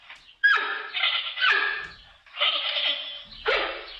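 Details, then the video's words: Giant panda repeating strained, nasal bleats about once a second, each starting abruptly and fading, with faint low thumps in between. "Как звучит панда? What does a panda sound like?"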